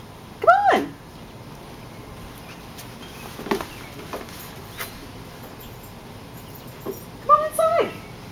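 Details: West Highland White Terrier in a backyard, undecided about coming inside and jumping against a sliding glass door: two high, ringing barks about seven seconds apart, with quiet background and a person coaxing the dog in.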